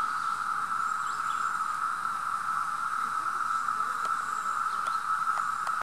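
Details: Brood V periodical cicadas at Mohican State Park, Ohio, on June 4, 2016, in full chorus, a steady, unbroken droning whine that never rises or falls.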